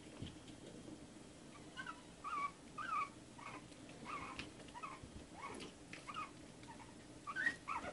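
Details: Shih Tzu puppies about one month old whimpering, with short high squeaks and whines repeated roughly every half second to second, fairly soft, with a slightly louder squeal near the end.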